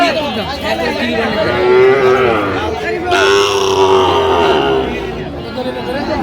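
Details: Sahiwal cattle at a busy cattle market in Comilla, Bangladesh, on 23 January: a drawn-out, low, steady moo rises above loud bargaining voices and crowd chatter, with a second long lowing call following a second later.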